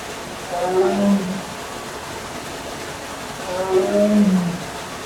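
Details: A zoo tiger in Melbourne at midday in winter, July 2024, gives two deep, moaning calls about three seconds apart over a low hum, possibly awaiting food or transfer to off-display quarters.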